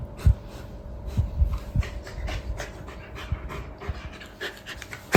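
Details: Gentle male Golden Retriever that befriended a frightened rescue kitten pants rapidly. Its airy, rhythmic huffs come about two or three per second, with soft low thumps and a constant low hum in the room.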